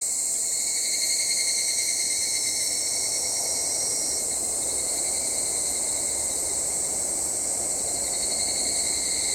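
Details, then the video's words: Evening cicadas (Tanna japonensis) shrill steadily, a high, ringing insect chorus with a sharp metallic edge. "ヒグラシの鳴き声-Evening cicada shrilling"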